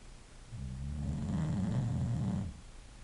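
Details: Snoring English bulldog: a single rough, rattling breath that swells and fades over about two seconds, low and throaty, in a quiet room.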